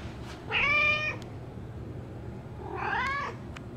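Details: Pet cat Bean, female, meowing non-stop at the door during heavy rain; two drawn-out harmonic meows about two seconds apart, the second rising slightly, in a quiet indoor room.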